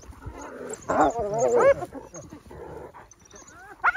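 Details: Wild dog fighting a hyena over the remains of a carcass: bursts of harmonic, wavering yelps and squeals that rise and fall, loudest around one to two seconds and again at the very end, with lower chattering between.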